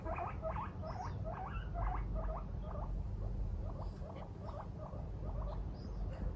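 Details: Moru-chan, a female pet guinea pig who left her cage to watch her oversleeping owner in the morning, repeats loud whistled squeals, each rising then dipping, roughly two per second in two bursts, over a low hum.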